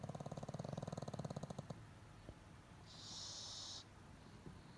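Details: Pet pug asleep at home with eyes half open, snoring: a rapid rattling, buzzy snore lasting under two seconds, then quiet with a short hiss.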